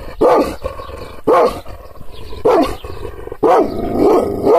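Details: Provoked Kangal guard dog barks aggressively, roughly one deep, rasping bark per second, ending in a quick doubled bark. A low background rumble fills the pauses.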